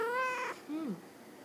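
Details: Munchkin cat kept as a talking pet, voicing while held and asked to talk: a clear harmonic meow rising then falling, followed by a shorter lower chirp that slides downward, then quiet.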